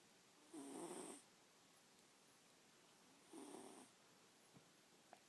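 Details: Snoring house cat Abigail, sleeping next to a cat bookmark; two breathy snores with a thin whistle, about three seconds apart, followed by a couple of faint clicks.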